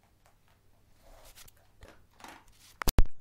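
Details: Soft shuffling and rustling indoors, followed by two sharp thumps at the very end.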